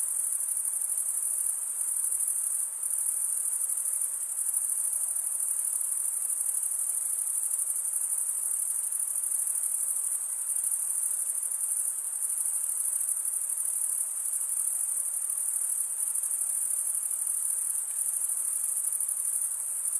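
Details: Crickets chirping, the males drawing a wing edge along a comb-like serrated vein beneath the other wing; a constant shrill ringing hum holds level throughout, with faint dips in loudness, crickets only.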